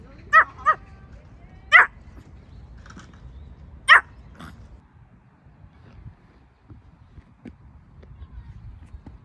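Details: Bichon Frise puppy babbling during a countryside and playground outing: a few short, sharp yips and squeaky vocal bursts in the first four seconds, then near silence with faint background rustle.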